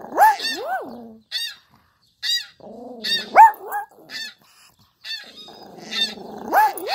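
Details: A feisty little Pomeranian gives whiny, rising-and-falling yips and barks, reacting to repeated high squeaky sounds.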